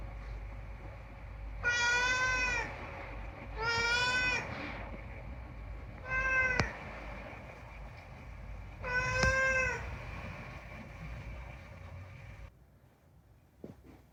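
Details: Unagi-kun, a rescued talking cat, gives four drawn-out, rich harmonic meows indoors, the third short and clipped. Sharp clicks sound between calls, and a steady hum runs beneath until it cuts out near the end.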